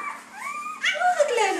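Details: Red female Labrador Retriever puppy moments after being born, last of a litter of eight, letting out a short rising whine and then a loud squeal that falls away, clear and close.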